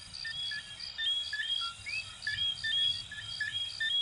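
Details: Chorus of coquí frogs from Venezuela and Puerto Rico, several animals trading brief whistled notes and rising slurred chirps, densely overlapping, with constant shrill insect trilling above.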